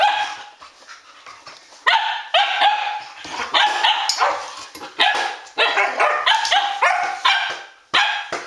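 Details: Arreau Standard Poodles, a group of dogs romping at midnight on August 12th 2014; quick runs of loud, clipped barks and yips with short pauses between bursts.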